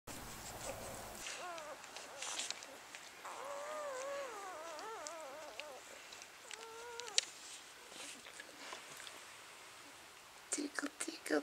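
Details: Three-day-old German Shepherd puppy after a very big feed, giving soft wavering squeaky whines in short rising-and-falling bursts, with quiet background hiss and a few sharp clicks near the end.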